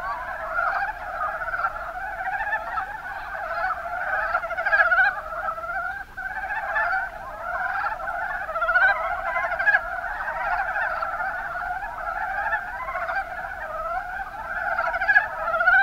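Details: Chorus of Mountain brown frogs, Rana ornativentris, Kuma Basin in Kumamoto Prefecture, Japan: many overlapping clucking, chuckling croaks run continuously without pause, a dense rippling wall of calls with small surges in loudness throughout.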